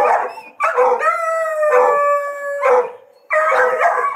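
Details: Hunting dogs being trained to hunt paca, giving long drawn-out howls with steady harmonic tone, broken by short barking bursts; loud, close, no other sounds clear.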